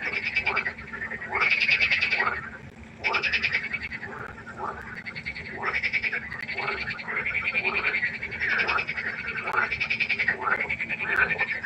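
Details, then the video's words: Several frogs calling by a pond at night, rapid grating croaks repeating quickly and overlapping into a continuous rhythmic chorus, loudest near the start, with a low background hum. "1 Stunde Froschkonzert. Frosch Geräusche quaken. Frösche Geräusche Konzert"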